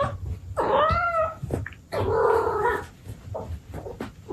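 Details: ['Abyssinian cat mother talking to her kittens indoors: two drawn-out, harmonic meows, the first bending up then down, the second broader and lower, with soft clicks and rustles between.']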